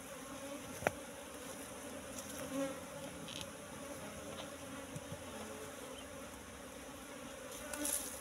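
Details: Asian honey bees (Apis cerana) buzzing at a wild nest found in bushes and full of honey; a steady low hum runs throughout, broken by a sharp click near the start and soft knocks later.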